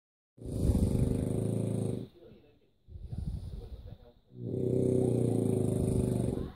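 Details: A French Bulldog snoring while asleep, compared to a pig: two long, loud, rumbling low snores with a quieter, rougher breath between them.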